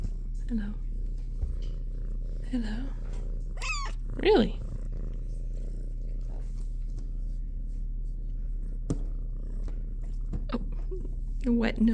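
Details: Shelter kitten Minnow, in the big kitty room, gives several short meows, including a clear pair of bright rising and falling cries in the middle, over a faint purr, with a person talking softly.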